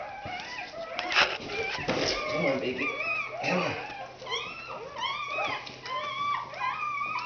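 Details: Newborn red Standard Poodle puppies during a 2010 birth, indoors: thin, high squealing cries with arched, rising-then-falling harmonic tones, clustered in the latter half, with a woman's soft encouraging voice and rustling in the background.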